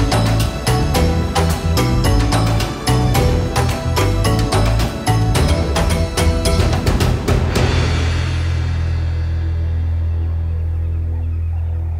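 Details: Dramatic orchestral music with pounding timpani beats, then a long low sustained chord fading out, and no lion or other animal sounds.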